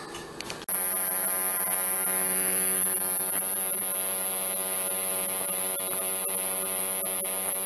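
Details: A male sword-bearing conehead katydid (Neoconocephalus ensiger) sings a steady, very high-pitched buzz without a break while singing and dancing at night in a temporary enclosure.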